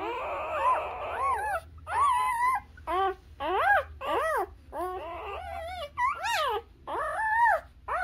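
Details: Newborn Labrador Retriever puppies nursing on their mother, giving high, squealing whimpers with arched, rising-and-falling tones, several short cries in quick succession over eight seconds, with brief quiet gaps between them.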